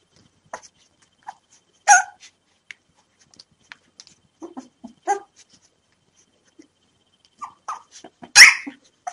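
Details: Newborn puppies, five of them at three days old, cry before hand feeding time with a few sharp loud squeals spaced several seconds apart, separated by quiet gaps and small soft squeaks.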